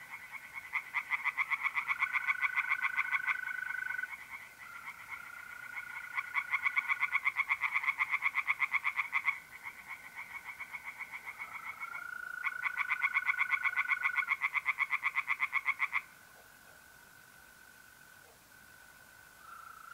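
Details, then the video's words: Singing tree frogs on an April night in north-east Italy deliver three long bouts of rapid, regular pulsed croaks separated by brief pauses, while mole crickets keep up a steady, ringing trill beneath. "relaxing singing tree frogs in pond and trilling mole crickets by night"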